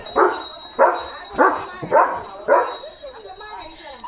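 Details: Post-bath and on alert, Leo the German Shepherd fires off five harsh barks about 0.6 seconds apart, then quieter sounds follow.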